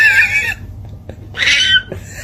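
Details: Domestic cat in a funny-cats compilation, giving two strained, harmonic meowing cries, the first about half a second long and the second after a short pause, with a fainter third cry trailing at the end in a small room.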